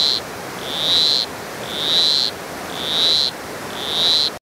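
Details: One Oophaga granulifera, the green and red granular poison frog, calling from low mountains on the south Pacific side of Costa Rica; a rhythmic series of shrill, buzzing half-second trills, nearly one per second, against steady background hiss, cutting off abruptly at the end.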